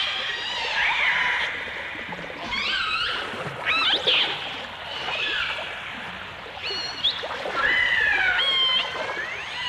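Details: A 1989 stereo recording of dolphins, with orcas also present: bursts of upswept and looping whistles in quick succession, several animals calling together, accompanied by clicks and a crackling underwater background.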